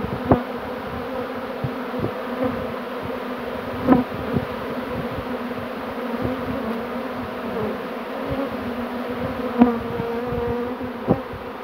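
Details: Second swarm of bees caught on 2 June 2019, hoped to crawl into their box: continuous droning buzz punctuated by sharp knocks and taps every few seconds, with occasional higher single-bee whines.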